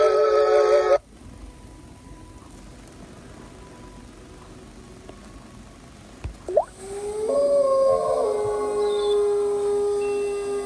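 Wolves howl in long, steady, mid-pitched tones, one voice sliding up before others join.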